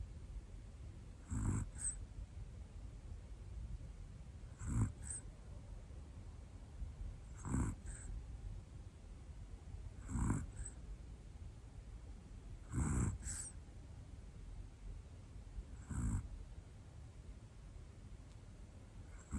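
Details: Snoring of a sleeping Pomeranian named Hana, a black female about one year old: six airy, rasping breaths spaced roughly two and a half to three seconds apart, several with a brief trailing puff, in an otherwise still room.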